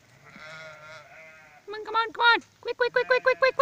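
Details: Sheep on 26 July 2017 being brought in for the night: a soft drawn-out bleat, then loud short bleats, ending in a rapid run of about seven pulsing, tremulous bleats.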